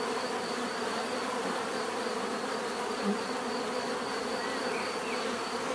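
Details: Natural bee buzzing, a full continuous hum with one brief louder note near the middle as a bee passes nearer, otherwise steady and even.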